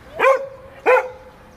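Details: Vito, a Giant Schnauzer at play, lets out two crisp barks about two-thirds of a second apart, each followed by a brief sustained tone, with a quiet background.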